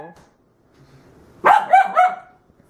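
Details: Corgi puppy indoors barking in protest at toilet paper left on the floor, disliking things out of place: a brief spoken word, then a loud burst of three quick, tonal yapping barks run together, ending in silence.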